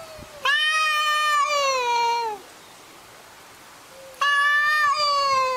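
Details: Arguing cats give two long drawn-out meows, the first about two seconds long and slowly sliding downward, then a pause before a second harmonic-rich wail starts and holds steady. A faint background hiss runs underneath.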